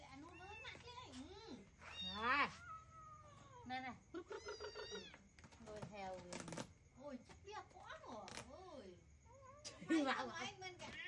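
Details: Hungry kitten clinging to its owner's shirt to beg for food at feeding time; many short rising and falling meows and squeaks mixed with a person talking in Khmer, clattering sounds throughout.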